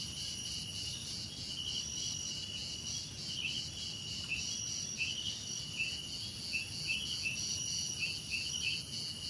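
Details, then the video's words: Steady shrill trilling of crickets fills the background while short, dipping chirped notes repeat irregularly through the second half, all over a quiet low murmur. "Relaxing Cricket Sounds"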